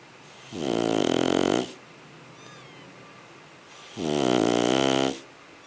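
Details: Shar Pei puppy named Sugar, asleep and snoring: two drawn-out, tonal, wheezy snores, each about a second long and roughly three seconds apart, with quiet breathing between them in an otherwise still indoor setting.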